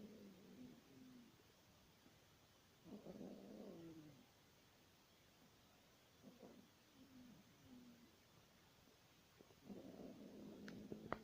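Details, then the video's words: Snoring Yorkshire Terrier, soft and low: fluttering, rattly breaths in irregular bursts of one to two seconds with quiet stretches between, plus a faint click near the end. "Йоркширский терьер храпит."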